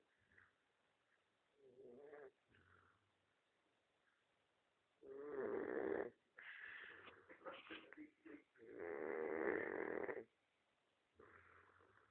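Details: Pet dog snoring: irregular rasping breaths, two loud drawn-out snores of about one to one and a half seconds, mixed with softer snuffling sounds and quiet gaps between them.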